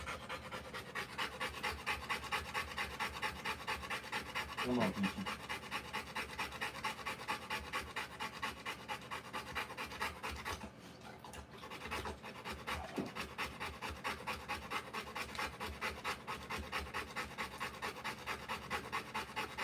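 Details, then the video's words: Rottweiler female during the live birth of her puppies, panting quickly and rhythmically, about two breaths per second for nearly twenty seconds, with one short pause in the middle and a brief low voice early on. "Rottweiler Puppies Live Birth."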